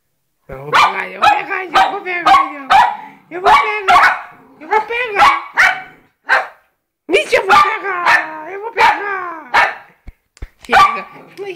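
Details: Rapid, yappy barking from poodles Jayme, the larger, and Lendonn, the smaller, a husband-and-wife pair: clustered barks in fast runs with short pauses, nearly continuous across the stretch, overlapping with people talking.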